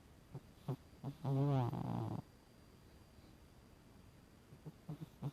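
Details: Emporess the cat sleeping and snoring, one loud, low, rattling breath lasting about a second with a wavering buzz, framed by faint soft clicks and snuffles in a quiet indoor space.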